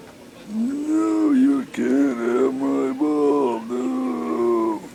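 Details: Beagle puppy, 10 weeks old, during a game of fetch, holds a long, sustained, mid-pitched howl for several seconds, broken into wavering segments with slight rises and dips in pitch.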